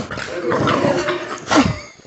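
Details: A Staffordshire/American bull terrier gives a short, grumbling whine that rises into a brief yelping peak.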